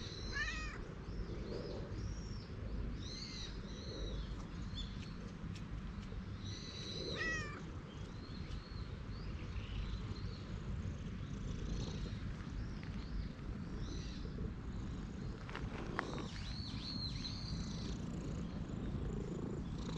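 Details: Stray cat at a temple, dashing straight toward a person, gives short harmonic meows near the start, around three seconds and again past seven seconds, over steady low rumble with bright chirping birds throughout.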